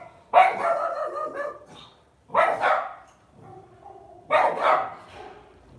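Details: Pet Lhasa Apso barking indoors: three loud, harsh, rough-edged barks about two seconds apart, each trailing into a brief ragged tail, room otherwise quiet.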